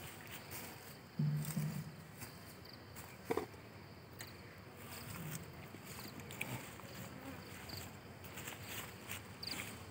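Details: Kept honey bees in beekeeping in India: a low, steady hum of buzzing, with a few brief knocks and handling noises.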